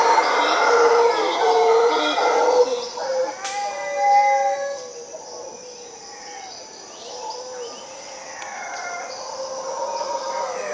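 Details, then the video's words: A group of howler monkeys in a tree in Costa Rica: a strong, rough, harmonic roaring chorus lasts about three seconds. After a sharp click, quieter, wavering howls trail off and return faintly. "Howler Monkeys in Costa Rica"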